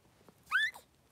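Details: One of two three-day-old Blenheim Cavalier King Charles Spaniel puppies in a newborn pen with mother Pom-Pom. A single short, sharp squeak rises quickly, then a faint falling squeak follows in an otherwise quiet room.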